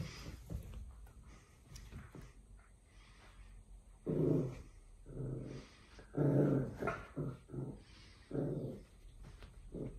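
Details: Indoors, a Corgi puppy having fun with a new rope toy that has a tennis ball attached gives short rasping growls in a cluster of five or six bursts, with quiet rustling before them.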